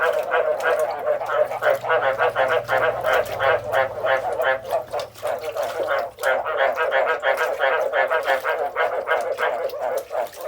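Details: Chorus of frogs croaking: loud, steady, throaty pulses repeat around three per second, many voices overlapping into a continuous rattling din.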